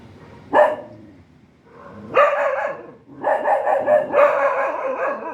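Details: A dog barking in short bursts: a sharp single bark, then a longer harmonic bark after a pause, followed by a run of several loud barks in close succession, with little else audible.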